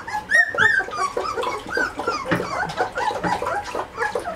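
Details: Two-and-a-half-week-old Malinois puppies of one litter squealing and whimpering together indoors, a dense overlapping chorus of high, wavering whines and squeaks, several voices calling at once with barely a pause throughout.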